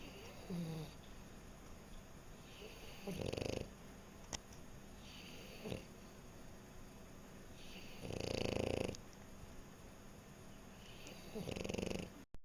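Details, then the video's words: Sleeping French Bulldog snoring softly: quiet, breathy snorts at irregular intervals of a few seconds, the clearest at about 3 and 8.5 seconds, over a low room hiss. "Snoring French Bulldog"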